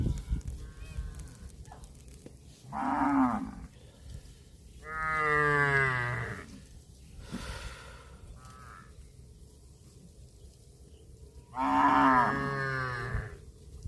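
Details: Cows eating grass moo three times over about fourteen seconds. The calls are drawn-out and harmonic, some with a rough, bending onset and falling endings, with quieter low rumbling and background noise between them.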